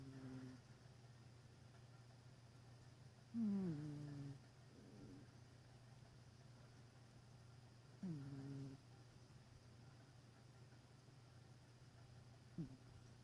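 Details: Domestic cat snoring while asleep indoors: three short nasal snores with a squeaky, falling tone, spaced about four to five seconds apart, over a steady low electrical hum in a quiet room.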